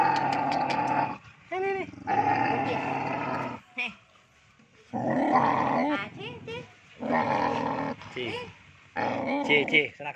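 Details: Male village dogs turn fierce in mating season. Harsh, broadband growling comes in long stretches, broken by short rising-and-falling yelps and whines between the bouts.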